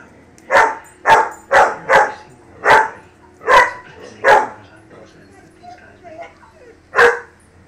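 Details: A German Shepherd puppy barking at lions gives a run of short, harsh, mid-pitched barks in quick succession.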